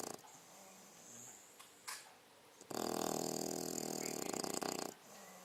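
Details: Sleeping six-month-old female English Bulldog snoring indoors: quiet breathing and faint brief noises at first, then one loud, rasping, broadband snore lasting about two seconds before fading back to near silence.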